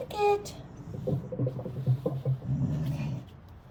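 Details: Wire-haired rescue dachshund grumbling after a bath as he is toweled off: a brief high whine, then a run of low, broken rumbling grumbles, with soft music in the background.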